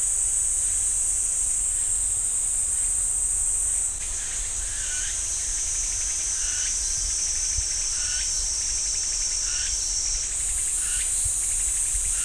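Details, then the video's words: High, sustained cicada buzz among the pines at Ssanggyesa temple, Jirisan National Park, dipping and shifting in tone twice, while a lower, regularly pulsing note recurs about every second throughout. "지리산 쌍계사 소나무 숲 매미 소리"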